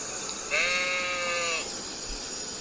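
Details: A single sheep's bleat lasting about a second, a steady, slightly quavering nasal tone rich in overtones that falls away at the end, over faint hiss.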